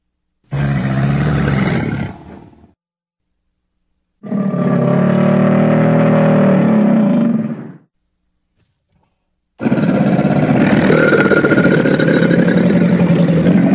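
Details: Crocodilian sounds: three loud, deep rumbling growl-like bellows, each about two to four seconds long, separated by silence, the last one harsher and noisier.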